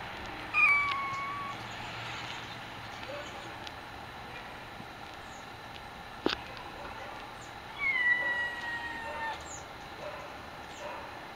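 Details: Black tabby Domestic Shorthair foster kitten, female, voicing her concerns: two thin, drawn-out meows that slide downward, one near the start and one about seven seconds later, over a steady background hiss with a single click.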